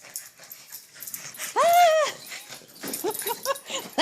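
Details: Excited little dog greeting its owner indoors after an hour apart; one drawn-out arching whine rising then falling, followed by a run of short squeaky yips, with the owner's voice and laughter around it.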